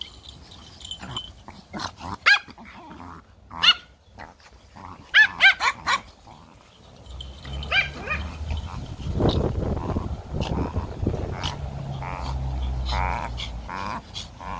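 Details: Playful Pomeranian puppies in a garden yap in scattered short high barks during the first six seconds, followed by louder rumbling, scuffling and handling noise through the second half.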